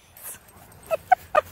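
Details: Alaskan Malamute, a pet dog, scared of a black cat: a faint breathy sound, then three short whimpering yelps in quick succession, sharp and mid-pitched, over a quiet background.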